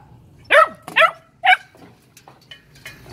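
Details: Phu Quoc Ridgeback puppies from a litter at a kennel in Saigon, Vietnam: three sharp, high yelps in quick succession, each bending upward then falling, followed by faint clicks and rustling.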